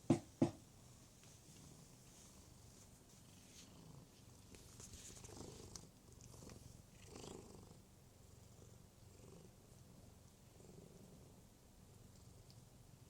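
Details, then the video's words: Cat giving a soft, continuous low purr that swells and fades in slow cycles, opening with two sharp knocks. "Loud cat noises"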